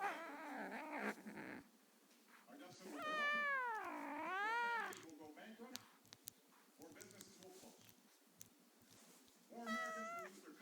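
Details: A 9-week-old Savannah kitten gives drawn-out, wavering growls while guarding a toy.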